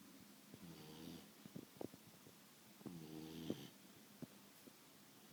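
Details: Betty the Beagle, a pet dog asleep indoors, whose snoring keeps Sasha the cat up at night: two drawn-out, rasping, buzzy snores about two seconds apart, with soft clicks and small thumps between them.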